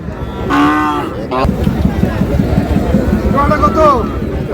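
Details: Thin dairy cows traded at the crowded Raniganj livestock market, Dinajpur, Bangladesh: two separate moos about three seconds apart, the second rising then falling, amid dense human voices and buyers haggling.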